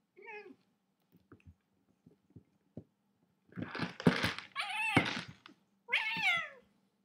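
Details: A cat gives a short meow, then after soft taps and knocks comes a burst of harsh, noisy yowling and a final falling meow, all indoors.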